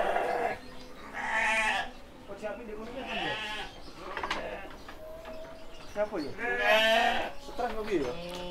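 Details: Male sheep about seven months old on a farm in Kediri, East Java, Indonesia; several wavering, nasal bleats rise and fall between stretches of Indonesian and Javanese speech, with handclaps and faint music.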